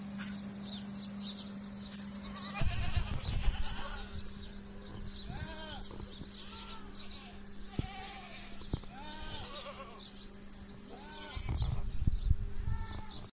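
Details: Salali goats calling in a group, many short arched bleats overlapping and repeating irregularly throughout, with a steady low hum, occasional thumps and knocks, and bursts of rustling handling noise.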